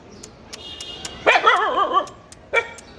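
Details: Village puppies answering a person who calls them: a drawn-out, wavering whining yelp lasting under a second, then a shorter yelp after a pause, with faint clicks and knocks in the background.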